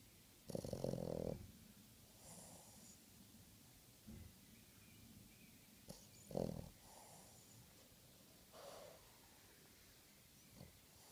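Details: Sleeping dog almost six months old snoring loudly; irregular rasping snores separated by several seconds of quiet breathing, over a faint steady background hiss.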